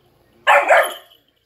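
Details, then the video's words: German Shepherd puppy barking back at its trainer during a lie-down training session: one short, loud, harsh bark lasting under a second, with brief spoken praise from the handler just before and after. "Training German Shepherd puppy to lay down argues back"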